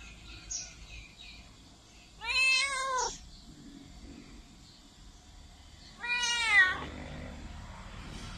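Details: Loud cat meowing, two long wavering harmonic cries roughly four seconds apart, each close to a second in length, with quiet room noise between them.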